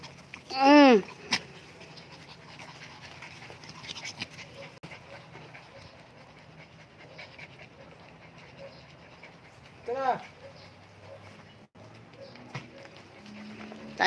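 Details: Commotion between mini Dobermans and Shih Tzus: one loud, ringing, arched yelp bursts out near the start and another follows about nine seconds later, with soft panting and quiet shuffling in between.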